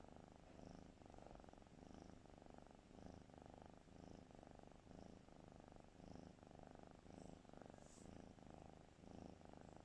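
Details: Cat asleep and snoring, an even train of low, buzzy breaths about twice each second with no pauses, a faint higher tick near the end and little else around.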